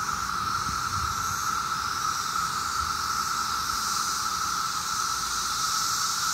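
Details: Massed 17-year cicadas calling on a summer day in Maryland: a steady, unbroken droning whine held at one pitch throughout, with a fainter hissing shimmer above it and no pauses.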